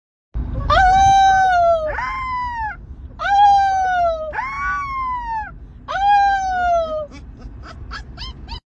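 A Rottweiler gives a series of drawn-out howls, each starting high and sliding down with a wavering, mournful tone. Several short yips and whines come between and after the howls.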